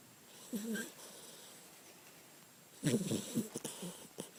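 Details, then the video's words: Sleeping puppy snoring: two short bursts of soft, breathy, rasping snorts, one near the start and a longer rattling series later, separated by quiet breathing in a still room. "Snoring puppy"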